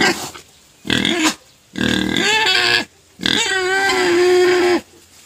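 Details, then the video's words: Crying pet pig demanding food, loud drawn-out squeals with wavering tones, three long cries of about a second and a half each with short pauses between. "Crying pet pig finally shuts up after being fed sugar cane"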